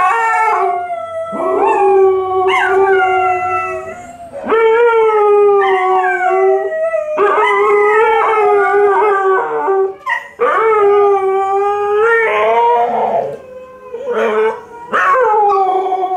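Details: Two dogs, Tikaani and Wolf, an Alaskan Malamute and a Siberian Husky, howl together in long, wavering, overlapping tones, loud.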